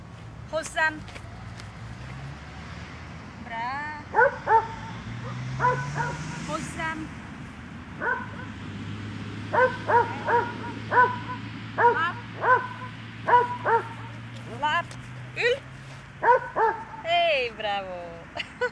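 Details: Two-month-old Cimarron Uruguayo puppy during obedience training: short, bright yips and barks come in irregular clusters, some rising and bending in pitch, over a low steady hum.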